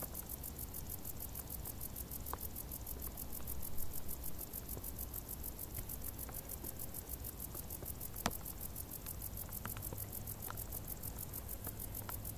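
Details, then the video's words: In the tall grass of a warm summer, crickets trill in quick regular pulses, roughly a few beats per second, while a low rumble hums beneath and sharp clicks pop now and then. "Grilli | suoni dall'erba alta"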